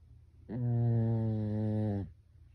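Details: Pet Pekingese dog asleep at home, snoring like a person: one steady, low droning snore of about a second and a half, buzzy and even, rising in slightly and fading out, in a quiet small room.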